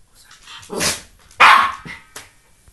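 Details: Three-year-old Norfolk Terrier attacking and playing with a balance ball indoors; two sharp barks, the second louder, followed by a short softer yip and faint rustling.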